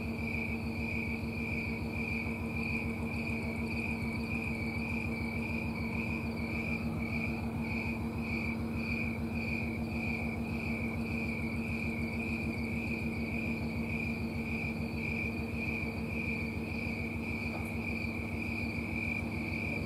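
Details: Snowy tree cricket singing in trees on a Colorado summer night, September 4, 2022: a steady train of high, pulsing chirps repeated about 100 times a minute, with a constant low hum underneath.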